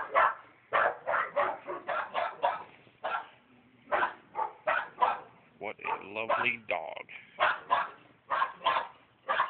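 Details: Bulldog next door, left to bark for hours when anyone is outdoors, gives a long, steady volley of rapid barks, about three per second, with a brief break near the middle.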